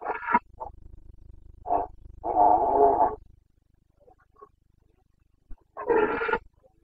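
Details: Carpathian red deer stag bellowing in the breeding season, Bucovina, Romania, 29 September 2022. Deep, raspy roars: a short burst, a few grunts, a sustained one-second roar, then after a pause another long harsh roar.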